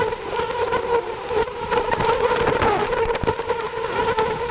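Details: Wild honey bees at a large forest hive about 100 feet up a tree during a honey harvest: a steady, dense, low humming drone throughout, with scattered crackling and rustling noises on top.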